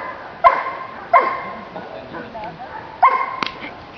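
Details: Giant Schnauzer giving three short, sharp barks, two close together and a third after a pause, with people talking in German nearby.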